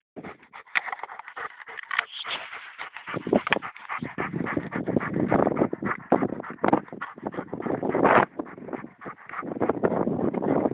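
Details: Bosnian shepherd dog of the Vlasic Tornjak type panting heavily, rapid rough breathy bursts, loud and continuous with brief pauses.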